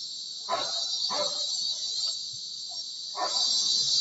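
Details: Kuliglig, the Tagalog name for cicadas, droning outside a bedroom window as a continuous shrill buzz, while several brief barking bursts from dogs cut in at irregular intervals.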